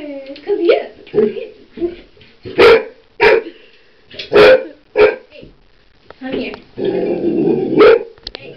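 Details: Frightened golden retriever puppy barking at a household curling iron, several loud sharp barks spaced about a second apart amid a person talking, with a low growly stretch toward the end.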